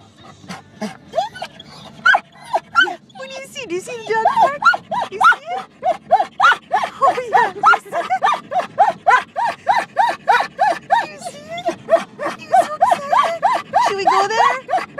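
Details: A pet dog named Denali, in a car and hoping to go to the dog park, gives loud, rapid, repeated high whines and yelps, several per second with rising and falling pitch, while a person talks about passing the park.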